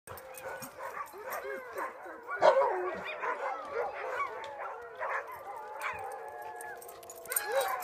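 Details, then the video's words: Tamaskan dogs Zephyr, Adak and Tahlulla on a play date, giving overlapping high yips, whines and short barks with wavering pitch, several voices at once, with a faint human voice in the background. "Tamaskan Play Date"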